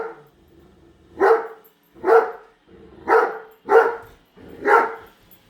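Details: A female Great Dane at home objects to a brand-new Roomba vacuum, giving five loud, gruff barks spaced roughly one second apart, each a sharp burst with a short breathy lead-in.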